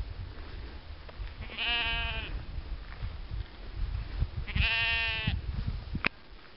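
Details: Sheep giving two drawn-out, wavering bleats, each about a second long and spaced roughly three seconds apart, over a steady low rumble of background noise, with a sharp click near the end.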